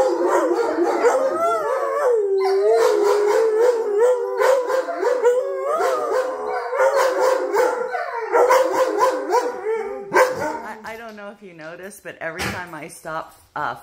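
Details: Young wolfdogs howling together indoors at home; Jake grew jealous and loud during a petting game, which set Honey howling and then the rest joined. Overlapping, wavering sustained howls, shifting into quicker quivering yelps and whines near the end.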